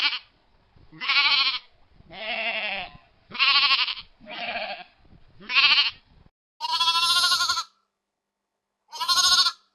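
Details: Rural field flock of sheep bleating in quick succession, about eight short, quavering cries of varying pitch, some thin and high, with a brief pause before the last.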